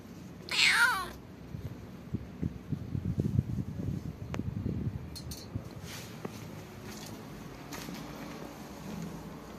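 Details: Cats gathering around a person to ask for food: one loud, drawn-out meow falling in pitch near the start, then soft shuffling, light knocks and quiet indoor noise with no further clear calls.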